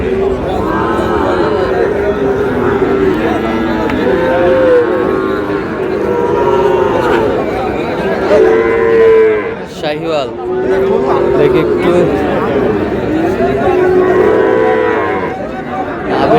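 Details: Sahiwal bull calves at a Pabna cattle market in Bangladesh: repeated arching moos from several cattle, one loud bellow near the middle, with a busy crowd talking throughout.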